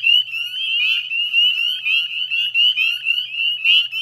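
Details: Northern spring peepers in a dense chorus at dusk on 18 May 2020, salt marsh wetland at West Chezzetcook, Nova Scotia, Canada: many high, slightly rising peeps overlapping continuously, loudness pulsing in waves.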